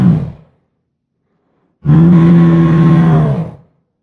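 A lion gives a deep, rough roar held steady for nearly two seconds, following the fading end of an earlier roar.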